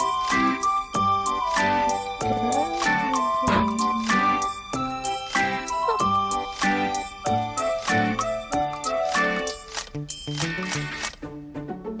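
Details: Bright tinkling children's-style music with plucked notes and a brief murmur of speech, and no animal calls.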